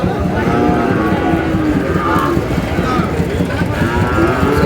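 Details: Sahiwal bull calves from Noakhali, Bangladesh, giving several low, wavering moos that overlap in a dense background of crowd noise and deep rumbling.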